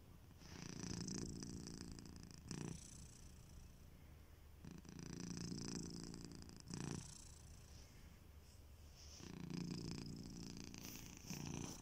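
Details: Pet cat Kitiboy sleeping and snoring, his rumbling breaths coming in four even swells roughly every two and a half seconds, each separated by brief quiet pauses.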